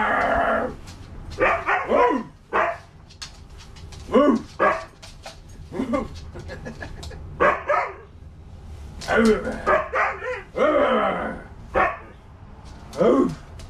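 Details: Two Siberian huskies, Loki and Bandit, playing at home with a stuffed husky toy: a busy run of yips, short barks and rising-falling talkative howls in quick bursts, while a person chatters and laughs over them.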